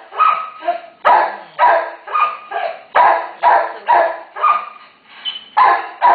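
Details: Mother terrier with one-day-old pups, family in urgent need of rescue, gives a rapid string of harsh barks, about two per second, some carrying a thin whining edge.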